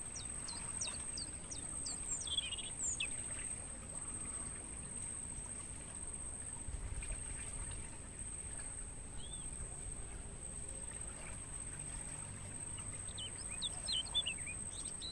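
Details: Crickets in a natural mangrove forest, recorded as training audio for songbirds: a steady, piercing high-pitched insect trill runs unbroken throughout, with scattered brief bird chirps and whistles above a low rumble of background noise.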